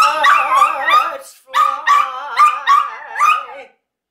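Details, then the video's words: Pet dog singing along with its owner: wavering, warbling howl-like tones with quick vibrato, one long phrase then four shorter pulsing notes, ending in silence. "JAX THE SINGING DOG"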